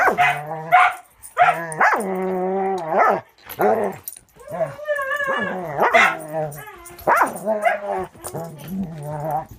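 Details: Two dogs at play, one a six-month-old Border Collie mix named Angel in rescue foster care, romping with Cisco: drawn-out, tonal, whining howls and yelping barks, some held for a second, overlapping in a steady stream.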